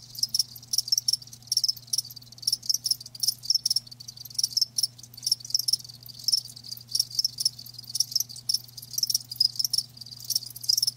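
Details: Live crickets chirping steadily, high pulsed bursts overlapping from more than one insect in a busy, unbroken rhythm, with a low hum underneath.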